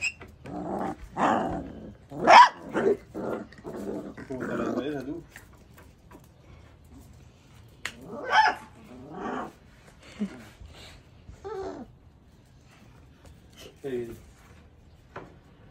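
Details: One-month-old Labrador Retriever puppy, described as angry, lets out a quick run of squeaky barks mixed with low grumbling growls, then quieter scattered yaps with gaps between them.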